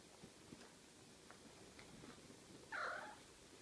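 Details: Ocicat kittens, six weeks old: after soft rustling and faint clicks, one short, high, slightly bent mew sounds near the end, clear and brief against a quiet room.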